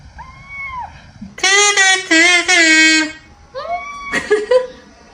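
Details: Indoor pet cat that normally never vocalizes meows on hearing a particular sound it seems to like. A short tonal note is followed by a loud, drawn-out, strongly harmonic wailing meow, then two shorter rising meows in a small room.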